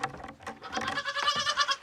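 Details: Two new young goats in a farm enclosure bleat in quavering, nasal cries on a cold morning, ready to be let out. Several cries overlap within two seconds, with a faint human voice underneath.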